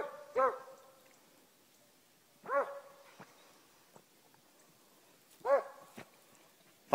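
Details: Beagle/Walker mix working jump dog trailing from the road on a hunt; three separate short bawling bays spaced about two to three seconds apart over a quiet outdoor background with faint rustling.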